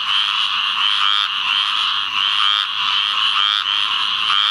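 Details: Squirrel Treefrog (Hyla squirella) calling in a field flooded by rains from Tropical Storm Ana, Onslow County, North Carolina, 11 May 2015; a steady raspy, buzzing trill with no pauses, a chorus of many others behind.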